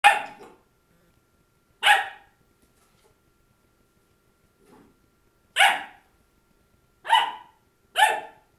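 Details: Labradoodle puppy Krystal barking at her own reflection, January 6, 2009: five sharp, loud barks at irregular intervals, with a faint soft grunt between them and silence otherwise.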